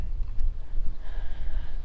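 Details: A freshly landed black drum, caught in a small flooded-marsh creek in Charleston, South Carolina, drums away with deep, croaking, rumbling throbs of fast low pulses, with faint rustle and handling noise underneath.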